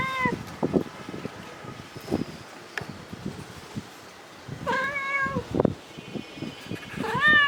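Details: Mother domestic cat calling for her kittens: a few loud, drawn-out meows, each a falling-then-rising wail near the start, middle and end, with scattered clicks and rustling between calls.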